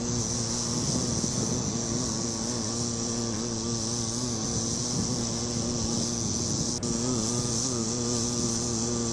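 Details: Bee on a flower giving a steady, droning wing buzz with a low wavering hum and stacked overtones throughout, over a constant high hiss; a brief click near the end.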